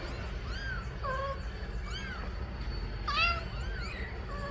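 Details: Mother cat calling for her kittens to be placed in the nest, giving a run of arched, rising-then-falling meows, repeated roughly every second, one louder and higher, with steady low background noise.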